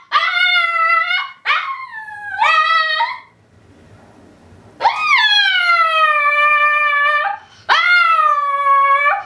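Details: Tibetan Spaniel male howling his alarm call out of separation anxiety as his owner departs. Long, sustained, mournful howls, some rising at the start, broken by a silent pause and then resumed twice, loud and harmonic-rich, like a dog in pain.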